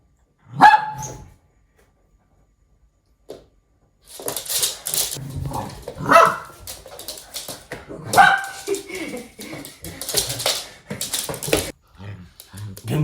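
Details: Playing with his owner, a male red toy poodle gives sharp, high yips and short barks, one after a quiet spell, then several more amid scuffling, rustling play noises.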